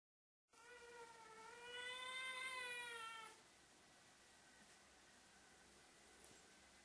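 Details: Fluffy Ragdoll-Birman kitten "singing" at the camera: one long drawn-out meow lasting about three seconds, rising then gently falling with rich harmonics, followed by quiet indoor background.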